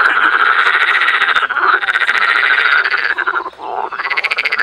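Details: Springtime frog chorus in Cologne's botanical garden, Germany: many frogs croaking together in a raspy, pulsing stream, the calling thinning briefly toward the end before swelling again.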